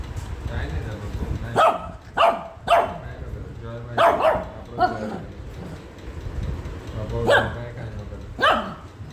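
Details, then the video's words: Shih Tzu puppy indoors, angry at being combed after a bath, giving a series of sharp, high barks, about seven over nine seconds, some in quick pairs, with faint human speech between them. "angry shihtzu/barking puppy"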